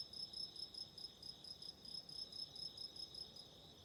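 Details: Autumn insects calling: a rapid train of high, shrill pulsed chirps, about five per second, with steady bright tones layered above, over a soft low background hiss.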